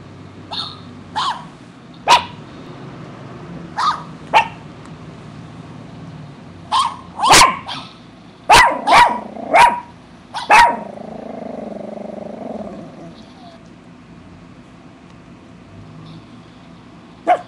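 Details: Eight-year-old female poodle, kept as a pet, barking while chewing imaginary gum: short sharp barks scattered singly and in quick clusters, with a smeared chewing-like rustle between barks near the middle.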